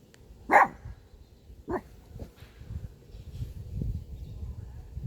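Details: Pet dog barking at a car, giving one sharp bark followed a second later by a shorter, softer bark, then low rumbling background noise.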